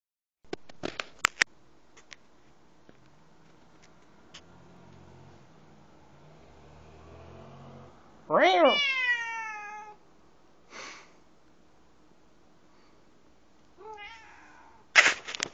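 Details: Domestic cat staring out a window and given a small scare by its owner; one loud, drawn-out harmonic meow falling in pitch near the middle, a shorter cry near the end, with scattered clicks and knocks around it.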